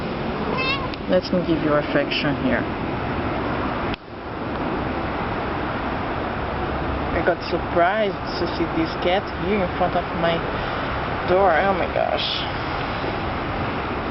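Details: Lost cat crying in a yard on a cold day, wanting to get inside to warm up. It gives a run of short, bending meows, several in quick succession, while people talk in Portuguese over steady traffic rumble.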